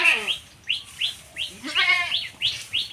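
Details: Goat on a village homestead in Bangladesh after straying onto another's grass: a quavering bleat opens the clip and a second strong bleat follows midway, among rapid, high, repeated chirps from other small creatures.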